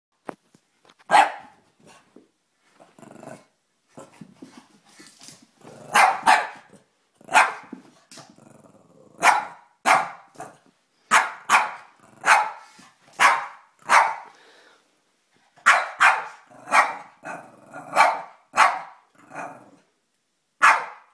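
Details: Boston Terrier barking in fear at a Boston Terrier coin bank: sharp, loud barks in quick bursts, about fifteen over twenty seconds, some in close pairs, with short quiet gaps and faint low growly sounds between.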